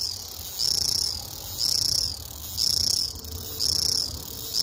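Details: Cicada singing: a shrill, high buzz repeated about once a second, each phrase roughly half a second long with a sharp rise and a steady level, separated by short quieter gaps, over low background hum.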